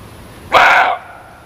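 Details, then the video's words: One short, explosive muntjac bark lasting under half a second, rough and hoarse, cutting sharply out of a faint steady hiss. "SUARA KIJANG"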